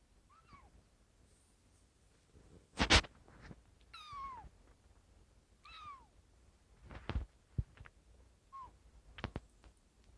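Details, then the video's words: One-month-old kitten crying on its second day in a new home, 17 January 2018, indoors: about six thin, high mews, each sliding downward, scattered across the recording, mixed with sharp thumps and clatter from nearby handling. "생후 1개월된 아기고양이 삐약삐약 우는소리"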